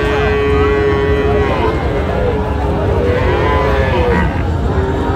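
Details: Sahiwal cattle, bull calves sold at a Cumilla market in Bangladesh, 28 August 2025: one long steady low moo, then shorter bending calls from other animals over a dense hum of voices and trade.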